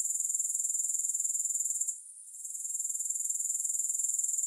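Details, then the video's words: A chorus of grasshoppers, heard without music, makes a dense, high, rapidly pulsing buzz that dips and goes quiet for about half a second near the middle, then resumes at full strength. "3 Hours of Grass Hopper Sounds to help you Sleep, Focus & Relax."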